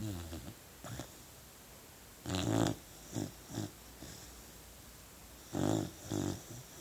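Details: Sleeping puppy snoring: short, rough, low snorts in irregular bursts, the loudest near the middle and end, with softer snuffles in between against a quiet indoor background.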